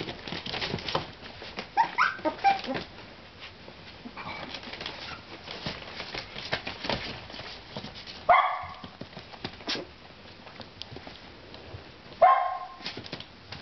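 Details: Four-week-old Miniature Schnauzer pups playing: scattered squeaks, then two loud, sharp high yelps some four seconds apart, with pawing and shuffling noises throughout.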